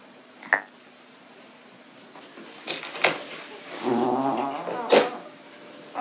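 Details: Foxie, a relaxed orange male Maine Coon at home, stretches amid soft thumps and clicks, then lets out a low rolling trill followed by a sharp short chirp.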